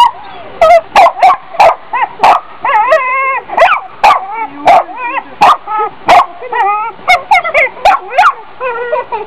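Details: A dog barks rapidly and continuously in high, yappy bursts with tonal, whining edges, several per second, punctuated by sharp loud clicks throughout.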